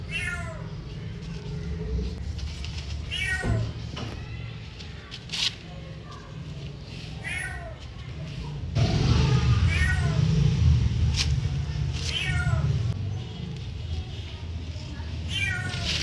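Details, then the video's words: Domestic cat meowing in a playful back-and-forth with a person: short, harmonic, slightly rising-then-falling meows repeated roughly every one to two seconds over a steady low rumble, with some speech in the background. "cat meowing"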